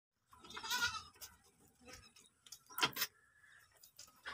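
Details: Beetal goat kids on a goat farm: one wavering, quavering bleat in the first second, then short knocks and clatter, a brief sharp sound near three seconds and a faint second bleat toward the end.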